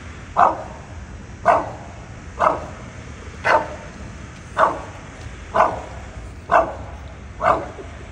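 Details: A bulldog barks at something in a tree, giving a steady run of short, hoarse, mid-pitched woofs about one per second, with quiet between them.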